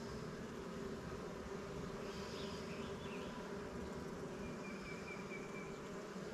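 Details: Honey bees in an apiary during an inspection of newly captured swarm hives, Langstroth and Warré, with frames heavy with honey; a steady, dense low buzz of many bees continues throughout with little variation.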